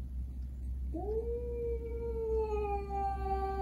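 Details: A domestic cat, one of two adult cats (a Russian Blue and a rescued stray) tensely meeting for the first time, yowls a long tone that rises, then sags slowly lower.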